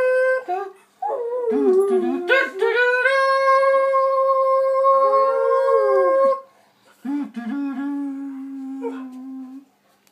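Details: Dog howling along to the Superman theme indoors: long, tonal, harmonic howls that waver and slide, one sustained for about three seconds, then a lower, steady held note after a short pause.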